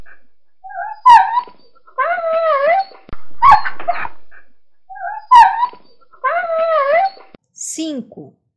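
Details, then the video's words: Dog whining in pain: a high, wavering, quavering whine with short yelping onsets, the same pattern heard twice, ending in a brief thin squeal. "Som de Cachorro Latindo Zangado, Cheirando, Chorando de Dor"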